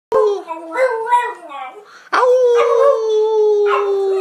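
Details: A Beagle howling: a wavering, warbling first howl, then a brief pause and a long, steady, slightly falling second howl with strong overtones, held to the end.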